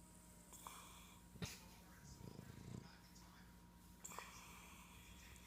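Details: A Boston Terrier, stretched out and snuggled in, gives a short, rough, low snore while a woman talks softly nearby.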